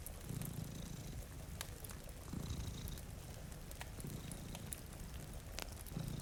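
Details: Low, rhythmic purring of two cats asleep before a rain-streaked window, the rumble steady and close, overlaid by scattered popping crackles from a fire and gentle rainfall.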